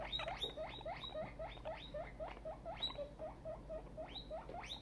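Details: Very excited guinea pig, a young female now grown larger, giving rapid repeated squeaks, each rising sharply then levelling off, several per second in a steady excited chatter.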